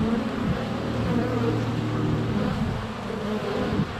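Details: Honey bees at the hive entrance during sunny February weather, captured with a GoPro Hero 7 Black: deep drone from a bee hovering close for about two seconds over a constant background buzz of many flyers.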